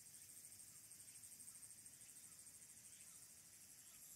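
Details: High, sizzling song of Walker's cicada from Mount Abura in Fukuoka City, Japan, captured by phone from the Aburayama Kannon observation deck on 22 August 2022; an even buzz beating in quick regular pulses, faint low noise beneath.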